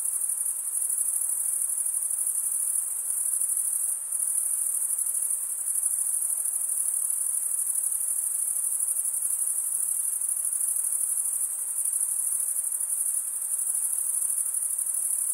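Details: Male crickets chirping by rubbing toothed wing veins together. An unbroken shrill, very high trill carries throughout, steady in pitch, with small brief dips in volume around the fourth second and near the end.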